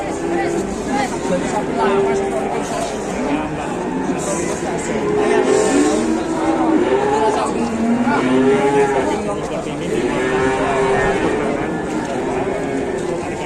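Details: Large, rare cattle in Indonesia, drawing excitement. Repeated mooing calls come from several animals, with drawn-out, arching lowing tones following one another every second or two over a steady background of crowd murmur.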